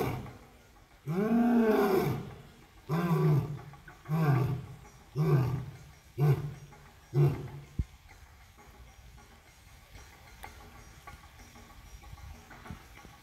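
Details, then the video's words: Captive African lion at Southwick Zoo roaring: one long deep moan followed by a series of shorter grunting roars coming faster and fading, the classic ending sequence, then quiet background. "Rare African Lion Roars at Southwick Zoo King of the Jungle Roaring Wet Mane"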